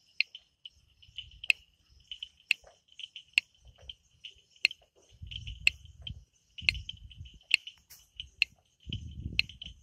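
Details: Night frog chorus in forest in the Amboli hills, Sindhudurg. High, tinny chirps run together with loud snapping clicks every second or so, while low rumbling bursts of wind or handling noise come and go.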